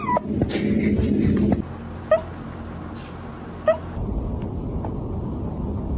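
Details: Cat hiccuping indoors: two short, sharp squeaky hics roughly one and a half seconds apart, each a brief rising yelp, over a steady low hum with rustling handling noise at the start.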